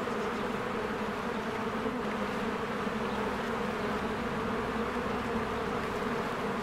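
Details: Honeybees swarming in and out of their hive in spring, flowers blooming; a dense, steady droning buzz from many wings, unbroken throughout with no other clear sounds.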